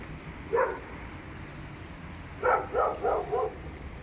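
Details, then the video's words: Dog barking within an apartment building: a single bark, a pause of nearly two seconds, then a run of four rapid barks, muffled and slightly distant over a low indoor hum. "Another instance of a noise pollution caused by dogs inside the apartment building!"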